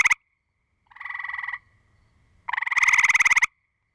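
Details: Gray treefrog exchange with aggression calling: a clipped burst, then a half-second pulsed trill, then a loud one-second rattling trill with rapid evenly spaced pulses.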